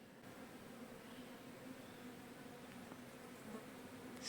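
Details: Bees that have taken over the roof of an old station, living in the small holes of a carved, chest-like structure, give a faint, steady, low droning hum throughout, with soft background room noise.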